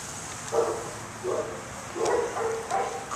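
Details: Dog barking quietly indoors, four short broadband barks spaced under a second apart, with a faint background hum.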